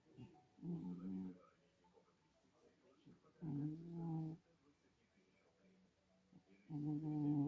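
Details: Sleeping domestic cat snoring: low, rough, droning breaths of under a second, each with layered harmonics, recurring roughly every three seconds with quiet gaps between.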